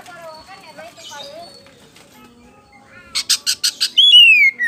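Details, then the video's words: Kacer poci (Oriental magpie-robin) lure song: faint scratchy twitters, then a burst of five rapid clicking notes and a loud, sweet, falling whistle with high overtones. "SUARA PAMCINGAN KACER POCI GACOR BIKING NGEPLONG"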